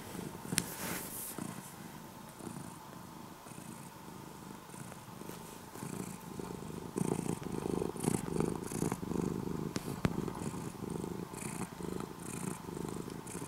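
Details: In the morning, an orange-and-white cat that began as a stray kitten and is now mostly a house cat purrs softly at first. The purr grows louder and more strongly pulsed in the second half, following its breathing.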